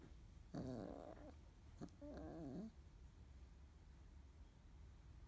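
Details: Field-type Labrador Retriever puppies, 30 days old, indoors after waking, nursing, eating and playing together: two short, rough, growly whining cries with wavering pitch, each about half a second, over a steady low hum.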